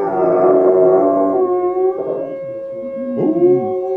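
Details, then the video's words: Indy and Oz, two dogs, howl in chorus with layered sustained tones that waver and slowly sink, broken later by short wavering yips and quavers from one dog. "Indy and Oz howling"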